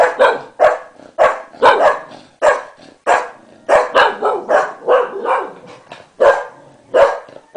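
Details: An English Cocker Spaniel barks in a rapid, insistent string of short, sharp woofs, reacting to its owner sneezing, while a second dog tries to chase it away.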